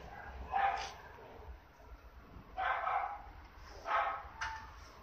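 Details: Osaka breeder's female Toy Poodle puppy, apricot coat, 58 days old: three or four short high-pitched barks and yips spaced about a second apart, low background rumble.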